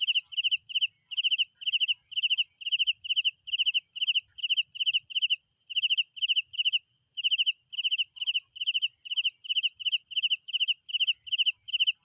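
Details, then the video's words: Rhythmic nocturnal cricket chirps, each a rapid run of high clicks, repeat steadily over a continuous hissing insect backdrop with near silence below. "Sounds of Night Crickets"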